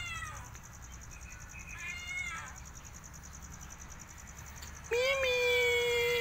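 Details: ['Cat compilation moment where faint, short mews are followed by quiet background for a few seconds, then a loud, sustained meow that starts with a quick upward scoop and holds a steady pitch to the end.']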